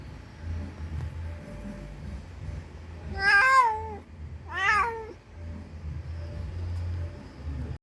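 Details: Calling for her lost kitten, a mother cat gives two loud, drawn-out meows, the first longer with a falling end, then a quieter one, over steady low background hum.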